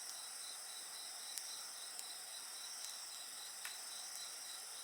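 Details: Insect voices ring in a steady shrill drone with a quick regular pulsing trill beneath, while a bonfire snaps and crackles about once a second in the background.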